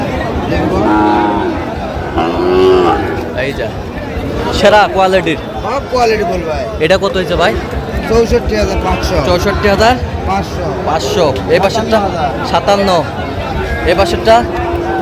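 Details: Sahiwal bull calves bought by a Chattogram farmer at a cattle market, 4 August 2025. Two mooing calls open the recording, one low and one brief and wavering, followed by loud crowd talk, shouting and market bustle.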